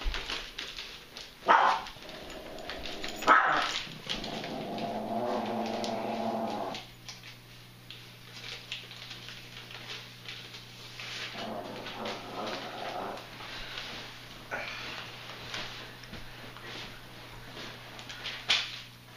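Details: Two dogs, Mimi the Chihuahua and Tug the Beagle mix, awaiting adoption and playing together: low, drawn-out growling vocalizations swell mid-clip and again later, between sharp knocks and scuffling thumps, over a steady electrical hum.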